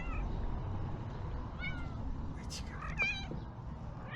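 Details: Hungry male ginger street cat in Türkiye, meowing loudly at a familiar person while asking for help; a series of short, wavering meows, one clipped and rising, with a human voice and low outdoor rumble beneath.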